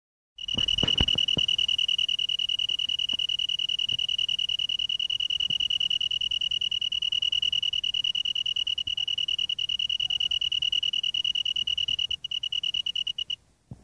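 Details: A shy male Japanese tree cricket (Oecanthus longicauda) in South Korea gives its calling song, a steady, pure, high 'ru-ru-ru' trill running on without a break; it stopped calling when approached.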